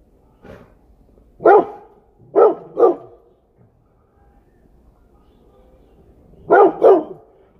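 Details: A Rottweiler barking at a deer gives loud, deep barks, single and in quick pairs.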